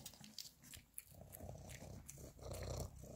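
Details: Labrador Retriever puppies eating minced beef indoors; a low, rumbling growl with layered tones builds through the second half and grows louder near the end, over smacking and crunching feeding noises.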